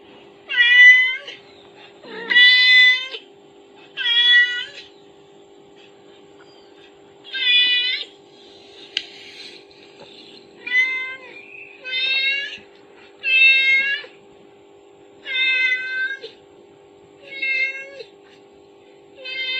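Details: Kittens hearing their mother's call from a phone, crying out with repeated high, slightly rising meows, about a dozen in twenty seconds at an uneven pace, against a faint indoor hum.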